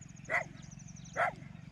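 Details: Two short, sharp barks about a second apart from a street dog, part of a pack chasing wild boars away, over a steady low background drone.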